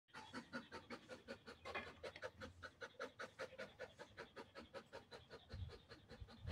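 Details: Belgian Malinois dog resting during a short break, panting hard and fast in steady breathy pulses, roughly two to three breaths each second, continuing evenly throughout with no other clear sounds.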